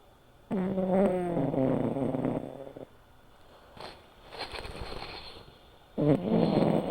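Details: Silver tabby American Shorthair Sora, male, five years old, snoring in his sleep. A long, buzzy, tonal snore of about two seconds comes first, then a softer airy exhale, and a second snore begins near the end.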